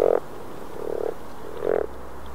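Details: In April 2014 in Northern Sweden, a Common Frog (Rana temporaria) gives three soft, low purring croaks, each under a second and spaced almost a second apart.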